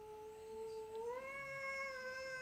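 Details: An adult female cat that dislikes other cats gives a long, drawn-out wailing yowl that swells upward partway through, on meeting a new kitten.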